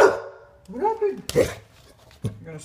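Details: English Bulldog named Rue, wanting to go out to pee, gives an arched, rising-then-falling vocal call with a sharp burst after it in a room. A person talks nearby.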